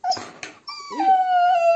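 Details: Husky being brushed during grooming at a dog grooming salon in Sofia, Bulgaria; after a few brief noisy sounds, a drawn-out tonal whining howl drops slightly and then holds steady, clear and fairly loud.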